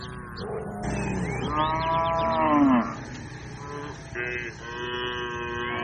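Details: Cattle in a grazing herd moo back and forth, several overlapping low, droning calls that swell and fall, with a brighter, higher moo near the end and scattered bird chirps over a steady outdoor hum.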